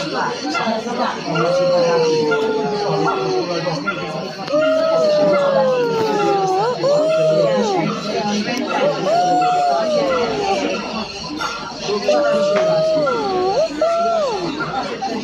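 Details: Silvery gibbon calls as clear, falling whistled hoots, each gliding downward and some ending in a short upward flick, repeated in several bouts with pauses, with a murmur of people talking throughout.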